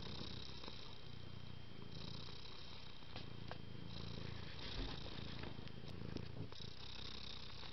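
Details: A pet cat purring while enjoying affection, a continuous low throaty rumble that pulses gently in repeated breaths over several seconds, accompanied by light rustling and a faint hum indoors.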